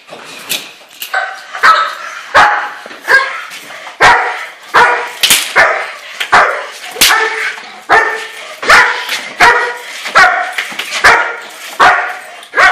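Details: Sustained bite-work barking from a German Shepherd: a nearly continuous run of harsh, ringing barks, some doubled, about one every three-quarters of a second for over twelve seconds.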